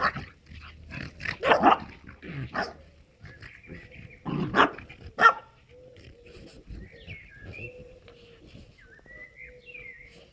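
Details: Moscow watchdog x Amstaff cross and a French bulldog at play: rough broadband growls and snorting bursts clustered in the first half, then quieter gaps with thin whistled tones and faint background noise.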